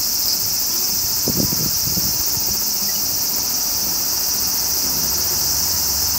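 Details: Aburazemi, the large brown cicada of Japan's woods, droning in a flat, hissing high buzz like spattering hot oil, with a short cluster of low thumps around the first two seconds.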